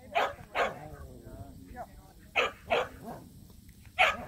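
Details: Samoyeds named Mozart and Zuko at a local match show, their first ever: short harmonic barks and yips in uneven bursts, about five over four seconds, with people talking in the background.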